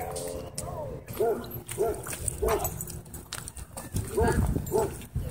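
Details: Dog at a dog park during play that turned into a dogfight, giving short, spaced barks about every half second, then a pause and two more; people talk in the background.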